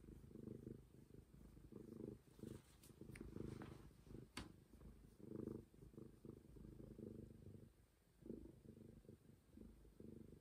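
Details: Street cat Momi purring contentedly, a low vibrating rumble in uneven breath-timed swells, broken by a few sharp handling clicks and a brief pause near the end.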